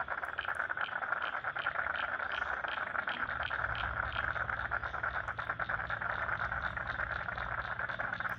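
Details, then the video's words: Wetland frogs in Lane Cove National Park, Sydney, keep up a continuous pulsing chorus, rhythmic clicks repeating quickly over a constant hum, with a low rumble joining partway through. "Frogs in Lane Cove National Park wetland"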